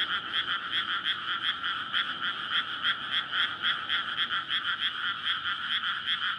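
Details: Frog chorus at night in May from a rice paddy newly flooded for planting, surrounded by housing; males courting to breed. Dense overlapping croaks pulse rapidly and steadily, several per second, forming a continuous rattling wall of sound.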